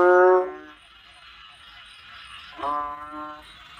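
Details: Two nasal, bellowing calls from a Banded bullfrog, each under a second and separated by about two seconds of hissy quiet. Both are deep, harmonic groans that hold a level pitch.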